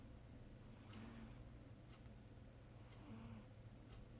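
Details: Pet cat Charlotte asleep and dreaming, snoring quietly; gentle breathy snores come roughly every two seconds with a thin squeaky tone inside them, steady low background hum throughout.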